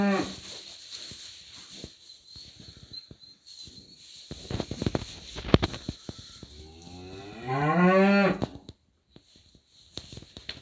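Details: Parthenais cattle in a barn-like setting: scattered knocks and clatter for several seconds, then one strong, harmonic moo that rises and falls over about a second near the end before quiet returns.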